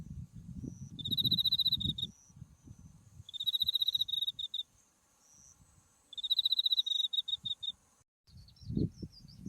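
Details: Autumn insects calling beside a white-flowering buckwheat field along a farm path, Mount Tsukuba in view: bright pulsed trills in bursts of about a second and a half, three times, over a thin steady high buzz, with footsteps crunching low beneath.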